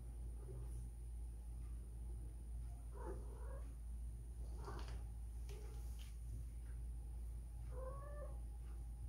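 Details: Spayed female cat named Whisky, in heat and seeking a mate, utters irregular brief moaning cries, the last one longer and higher, against a loud steady low-frequency hum.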